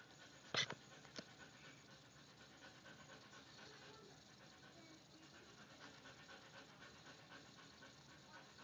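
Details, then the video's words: A Rottweiler, angry at a picture, gives one sharp, loud bark and a softer follow-up, then pants heavily. "This is my Rottweiler getting angry at a picture"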